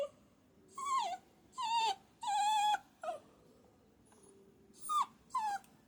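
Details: Puppy giving high, tonal whimpers, six short whining calls in separate bursts, several sliding downward, with quiet pauses between them and a faint background hum.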